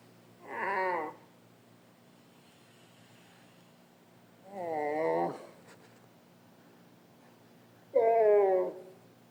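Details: Dromedary camels in the Sahara, recorded in 2017: three short, wavering, harmonic moaning calls, each under a second long and spaced several seconds apart, against a quiet background.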